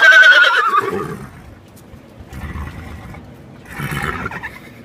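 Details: Horse at Kentucky Horse Park, Da Hoss, whinnies loudly: a high, wavering neigh that falls in pitch over about a second, followed by quieter breathy snorts and rustling.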